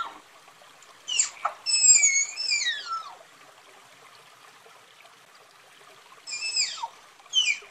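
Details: Tapir producing squealing, downward-sliding whistles in a cluster, then near silence for about three seconds before two more sharp falling squeals, with faint hiss throughout.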